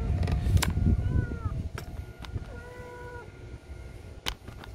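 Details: Stray mother cat carrying her kitten home near an apartment building; two drawn-out, gently falling meows in the middle, with sharp clicks and low rumbling noise around them.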